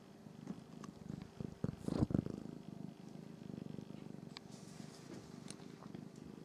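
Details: Norwegian Forest Cat siblings grooming each other indoors, giving a low, steady rumbling purr with a louder swell near the middle and scattered faint clicks and rustles.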